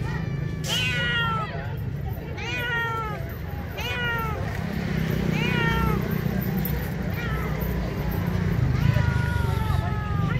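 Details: Hungry stray street cats crying for food: about six loud, drawn-out meows, each sliding up then down in pitch, repeating every one to two seconds over a steady low rumble of outdoor urban background noise.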